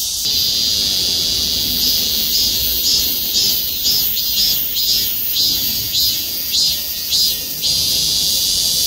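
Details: Cicadas chorusing in trees over the Gwangmyeong City Hall parking lot in South Korea. A steady high buzz carries pulsing swells, roughly two a second, in a rhythmic maem-maem pattern over faint low background rumble.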